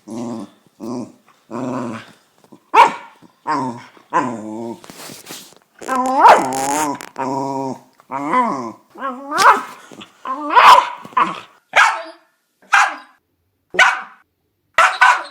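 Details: West Highland White Terrier growling and barking in an uneven series. Rough, buzzy growls mix with wavering whine-like barks, roughly one burst every second, some louder and higher than others.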